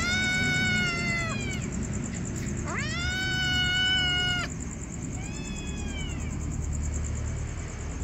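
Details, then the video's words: Hungry kittens giving three repeated meows, each about a second long, rising then falling in pitch, the last one softer; steady rumbling background and a constant thin high tone. "kittens meow hungry"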